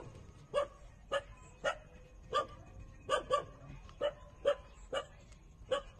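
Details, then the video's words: Squeaky little yelps from 27-day-old street puppies nursing on their mother, about ten sharp cries spaced under a second apart, some in quick pairs, over a quiet low hum. "Cute puppy 27-days-old sucking mother for milks"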